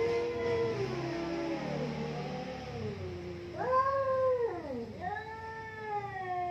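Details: Pair of cats squaring off in a fight, one voice holding a low moaning growl that sags and wavers, then two sharp rising-and-falling yowls break out in quick succession.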